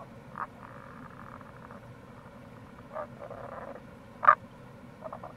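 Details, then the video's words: April recording of Tago's brown frog (Rana tagoi) at a gorge on the Kamo River, Itoshima, Fukuoka; several short croaks and a brief rattling run, one sharper loud note, with steady stream noise underneath. "Wild Frog Call | タゴガエル"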